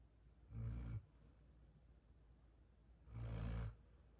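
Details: Sleeping female golden retriever snoring like a tractor: two deep, rumbling, low-pitched snores about half a second each, the second roughly two and a half seconds after the first, with a quiet room between.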